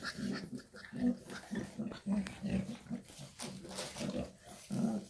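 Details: Shar Pei mother with her puppies in a small room; short low growling pulses repeated roughly every half second, with a faint voice in the background.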